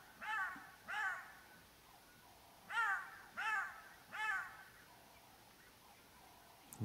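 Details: Black-backed jackals give sharp, harmonic alarm yelps in short bursts on a clear morning, signalling a predator nearby; lions have been heard roaring close by.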